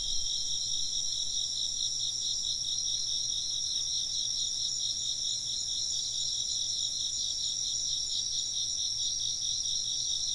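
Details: Chorus of insects chirping together, a dense, high, shimmering trill with steady rapid pulsing throughout, several overlapping voices, and a faint low hum beneath.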